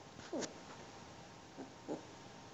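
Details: Four-and-a-half-week-old Alaskan Malamute puppies being petted give two brief, high, wavering whimpering squeaks close together, then a fainter short squeak after a pause, in a quiet indoor room.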